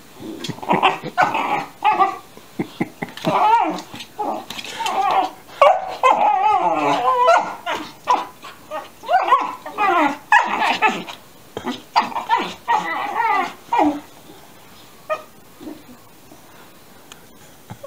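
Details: Alaskan Malamute puppies, 13 weeks old, yowl at each other indoors under a chair, trading wavering, rising-and-falling yowls in quick bursts, one answering another; they kept this up for about 45 minutes.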